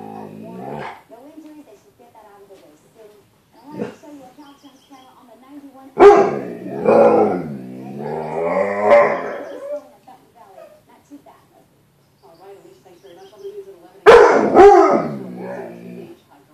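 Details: Bruce Wayne, a pet dog indoors, confronts his reflection in a closet door's glass, the "other dog"; loud bursts of barking mixed with growly, moaning vocal runs and quieter grumbles between.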